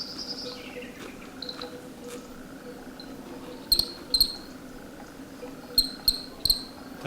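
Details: The first cricket of the year, in March around 7 pm near nightfall in the dehesa of Sierra de San Pedro, Extremadura, gives bright, shrill chirps in clusters of two or three. Faint thin whistles and a low hum sit underneath.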